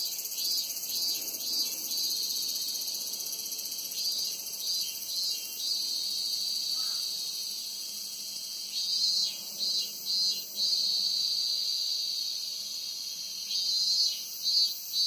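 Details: A dense, high insect buzz from cicadas in August, swelling and pulsing in waves over a steady shrill hum.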